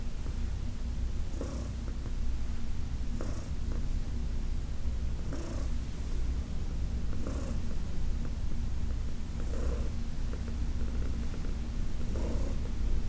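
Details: Elderly adopted female cat receiving a massage at home, purring continuously; a low, even rumble carries throughout, broken by short breathy surges roughly every two seconds.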